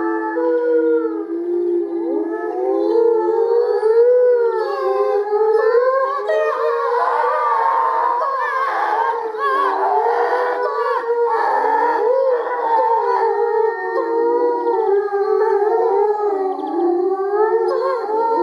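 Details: Timber wolves at the Erlebnis-Zoo howling together from the raised area of their enclosure after the lead wolf's gathering signal; many overlapping voices weave rising and falling tones, a dense chorus mixing bark-like notes and howls.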